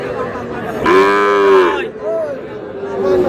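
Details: Sahiwal cattle at a Barishal, Bangladesh market, 19 August, where bulls and heifer calves are bought: a loud, rich, steady moo of under a second, then a shorter rising call and a quieter drawn-out low note, people chatting behind.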